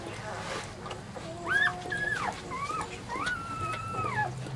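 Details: Newborn Weimaraner puppies whimpering: several overlapping high, arched whines that rise and fall, some drawn out and wavering, with a low steady hum in the background.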